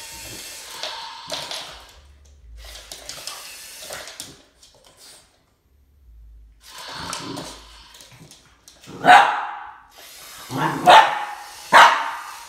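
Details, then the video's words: Boston Terrier Max facing a snake: scattered quieter noises and rustling at first, then three abrupt barks spaced about a second apart in the last few seconds. "BOSTON TERRIER MAX Vs SNAKE"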